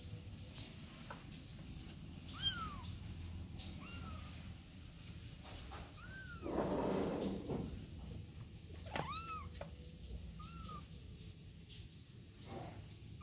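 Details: Domestic kitten out with its mother cat, mewing in short rising-then-falling arched calls, about six spread across the stretch, one louder harmonic-rich pair near the end; steady low background rumble and a brief broadband rustle midway.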